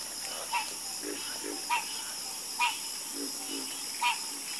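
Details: Frogs croaking in a sparse chorus. Four loud, clipped croaks come at irregular intervals, with low muffled croaks between them, all over a steady high-frequency drone.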